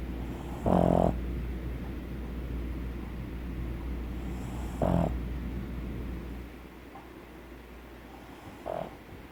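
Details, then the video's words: Snoring pug, a flat-faced dog breed whose airway makes noise as it breathes: three snores spaced several seconds apart, the first two loud and raspy with stacked harmonics, the last brief and faint, over a constant low hum. "PERRO PUG RONCANDO // COMO RONCAN los PUG"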